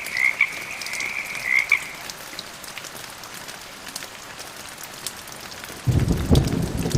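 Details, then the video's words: Frog giving a high, even trill over steady rain for about two seconds, then a heavier wash of rain or thunder rumble takes over with no calling. "RAIN, THUNDER AND FROG SOUNDS"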